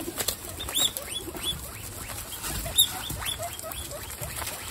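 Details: Guinea pigs from a household herd of 27, squeaking during dinner: short, high, arched squeaks that rise and fall, coming in quick overlapping bursts over steady crunching and rustling.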